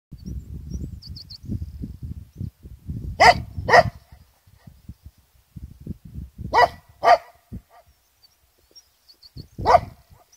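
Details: American cocker spaniel outdoors below the Quiraing cliffs on the Isle of Skye, barking at its echo off the mountain walls: sharp barks in pairs, with rumbling wind and a man's voice between.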